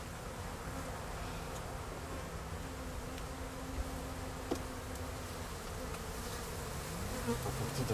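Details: Honey bee buzzing as a steady low drone with faint harmonics, broken by a few brief clicks and rising tones near the end.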